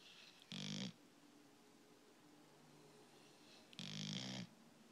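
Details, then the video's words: Skyler, a dog, snoring indoors: two loud, rasping snore bursts, each under a second, separated by about three seconds of quiet breathing in a small room. "Skyler roncando"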